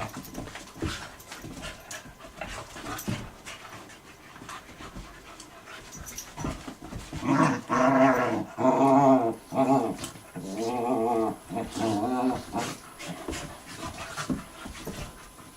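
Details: Two puppies, Gunner and Allie, play-fighting indoors: scuffling and panting, then a run of loud, harmonic growl-whine bursts, roughly one per second, rising and falling in pitch before fading back to scuffles.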